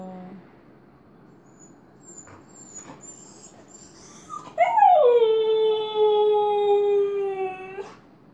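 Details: A Siberian husky missing its owner, who has gone to the office, gives a long, mournful howl that slides slowly downward.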